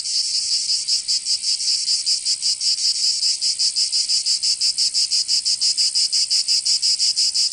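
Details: Cicadas singing in summer in Provence, southern France: a dense, high buzzing chorus pulsing in rapid regular beats, about three per second, with no other sounds.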